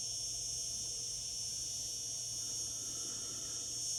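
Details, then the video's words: Cicadas singing in summer, a dense, steady, high-pitched buzzing drone that holds without pause or change in rhythm throughout. "Cicada sounds, cicadas singing in summer."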